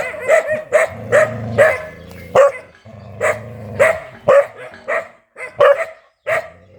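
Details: Aggressive dog giving loud, sharp barks about twice a second, broken by low, humming, voiced stretches between the barks.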